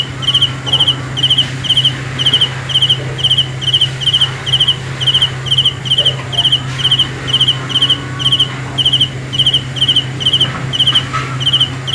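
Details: High, trilled cricket chirps repeat in a steady rhythm at night, about two each second, with faint brief rustles and a constant low hum behind.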